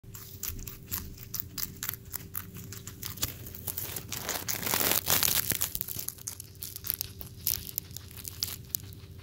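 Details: A white flat-furred guinea pig named Vanilla, indoors in a small room, eats a snap pea: loud, dense crunching and tearing bites repeating rapidly, around two or three per second, with a steady low hum underneath.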